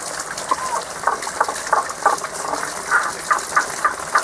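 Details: A mid-to-high pitched seasonal frog song from frogs that cannot be seen. Brief clipped notes repeat at an irregular pace, fainter early and firmer near the end, above continuous gushing water.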